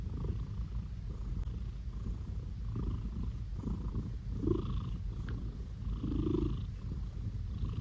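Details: A male blue British Shorthair cat purrs in a steady, low rumble while being petted, broken by a couple of brief, higher vocal notes.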